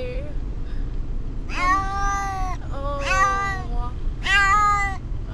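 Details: Pet cat Brutus the Beefcake, upset during a car ride to the vet, utters three long, loud, harmonic yowling meows, each about a second, spaced roughly every 1.3 seconds, over constant low vehicle rumble.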